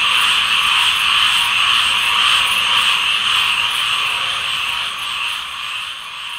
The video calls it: ASMR Tree Frog Chorus